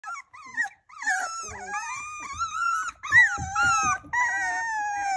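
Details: Hungry puppies whining together indoors: overlapping high, drawn-out whines that slide up and down, several at once, with short breaks between bursts.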